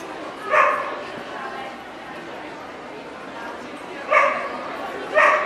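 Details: Welsh Corgi at the NVP Ostrava dog show, Czech Republic, 14 April 2012: three sharp, single barks, one early and two close together near the end, over a steady indoor murmur of voices.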